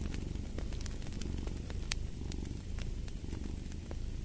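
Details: Cat giving a low, continuous purring rumble with a fine pulsing texture beside a crackling fire, whose sharp pops break in every fraction of a second.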